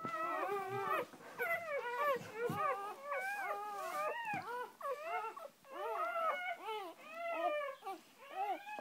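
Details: Newborn litter scene with Shoobie, the mother dog, and her first three puppies: a rapid series of short, arched, yelping squeals, several per second, overlapping in a busy, insistent chorus.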